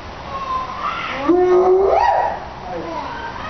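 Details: A spotted hyena at Tennoji Zoo, Osaka, gives a single tonal call that swoops upward in pitch over about a second.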